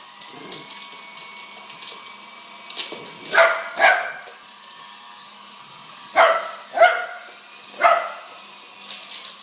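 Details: Chase, a dog who loves helicopters, barks at a larger one: a pair of barks, a pause, then three more in quick succession, sharp and harmonic over a continuous high mechanical whine.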